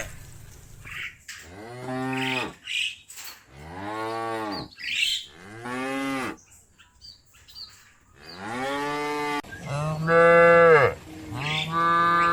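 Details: Mooing cows calling their companions back to the barn; a dense series of short and long moos, some rough and some clear, following one another with brief gaps, the last a loud, drawn-out bellow.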